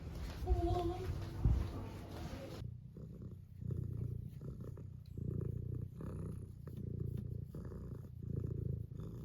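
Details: Tuxedo cat purring while wanting to be petted: a deep, continuous rumbling purr in pulses of about a second, after a brief opening with a short chirp and handling noise.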